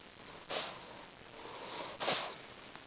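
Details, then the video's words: Pet dog named Lady snoring indoors: two short, breathy, hissing snorts about one and a half seconds apart, with softer airy breathing between them. "Our Dog Lady Snoring"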